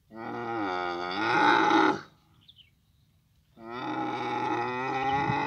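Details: Camel in the Abu Dhabi mating season giving two long moaning bellows with a slightly wavering pitch, each about two seconds, separated by a quiet pause.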